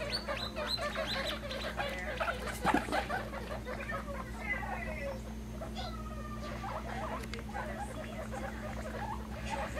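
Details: Pet baby guinea pigs popcorning, jumping around happily; a few faint rising squeaks and scattered patter of movement sit among rustling and a constant low hum.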